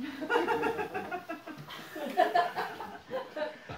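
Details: People chuckle, laugh and talk together in a small room, with no animal voice heard.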